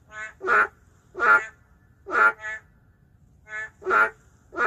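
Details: In an urban setting, endangered boreal digging frogs trade calls: five loud, rasping croaks, each closely preceded or followed by a quieter, reedy croak, an alternating back-and-forth rhythm with little other noise.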